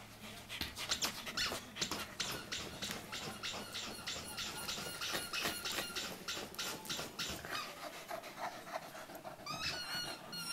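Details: A Corgi makes quick, breathy huffs mixed with thin, high whines, ending in a rising whimper.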